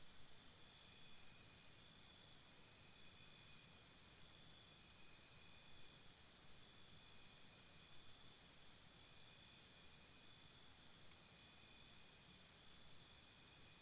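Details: Crickets chirping by a campsite at night, two long runs of quick regular pulses in a high trill separated by a quieter stretch, with short higher chirp bursts recurring and a constant low background rumble.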